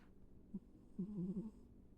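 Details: Sleeping house cat named Ivy gives one brief soft snort followed by a wavering low buzzy snore lasting about half a second, against a hushed indoor background with a faint electrical hum.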